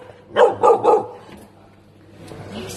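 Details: Tibetan Mastiff puppy in a pet store reacting to a new animal, giving three quick deep barks in under a second, followed by quieter store background noise.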